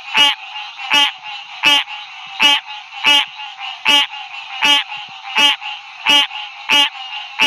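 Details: Calling male green tree frog at a roadside chorus at night, Ouachita National Forest. Ten loud, nasal, quacking notes come at a steady beat of roughly one every 0.7 seconds over a softer background chorus of more frogs.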